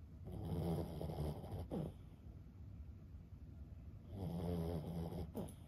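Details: Snoring of Lulu, a sleeping Boston Terrier aged fifteen: a deep buzzy snore, a brief snorting breath, then a second drawn-out rattling snore roughly three seconds later in a quiet room.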